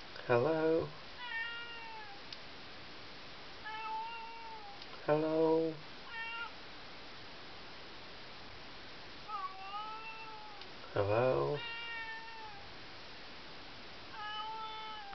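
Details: Pet cat calling from behind a bedroom door in the middle of the night: several loud, wavering meows every few seconds, each answered by quieter, higher, bending whines in between, in a small indoor room.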